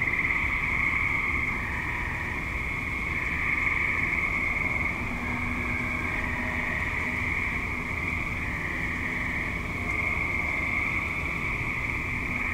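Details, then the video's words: Active suburban tree frogs recorded at dusk into night, a dense continuous chorus of high trilling calls layered with a lower steady hum. "Tree Frogs - Dusk / Night - Suburban"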